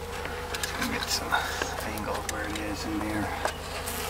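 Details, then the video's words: Wild Western honey bee colony of about four years under a mobile home, a hive about 2 by 2 by 10 feet weighing almost 200 pounds; steady low buzzing hum with a man talking and scattered clicks and knocks. "200 pound Honey Bee Hive"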